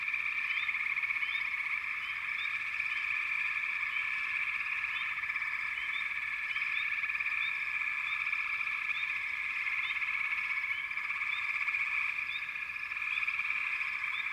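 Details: A backwater frog chorus forms a thick, unbroken high-pitched wall of sound. Short upward-sliding chirps repeat scattered throughout, with a faint low rumble underneath.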